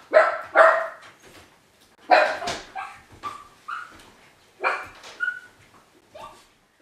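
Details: Ylva, a Miniature Pinscher left home alone for the very first time, barking in the hall: paired loud sharp barks, then softer rising yelps and whines, bursts spaced about one to two seconds apart, indoors and otherwise quiet.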